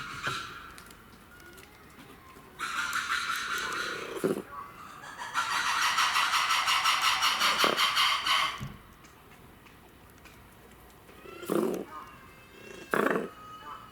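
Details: Red ruffed lemur at Saitama Children's Zoo, Japan, 3 February 2018: a harsh, rapidly pulsed, broadband roaring call, first a short burst, then a longer throbbing stretch of about three seconds. Sharp knocks and quieter background noise follow.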